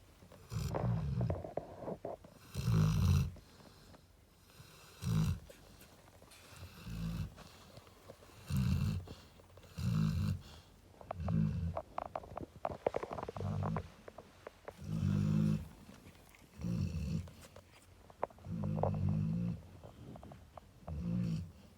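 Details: Snoring Cane Corso Narla, a mother relaxing beside her puppies, gives a long run of about a dozen short, deep, throaty snores. They repeat every second and a half to two seconds in a quiet indoor setting.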